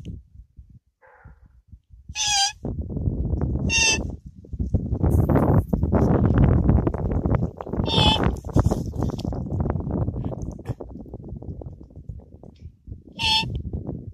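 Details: A roe buck about 200 m away gives short, harsh barks at irregular intervals after a doe ran off, over rumbling wind and a man's voice during a duck hunt.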